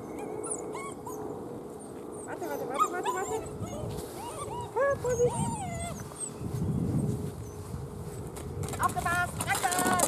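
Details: Weimaraner puppies in a litter, being fed and playing, recovering from juvenile cellulitis: many high squeaky whines and yelps overlapping, with a person talking in German and rustling background noise.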